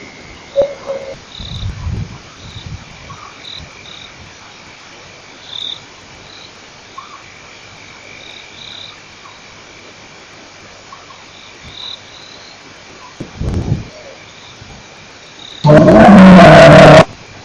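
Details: A male lion at Nkorho Pan gives deep, low grunting roars against a quiet night background of faint insect trills; recorded 28 September 2008.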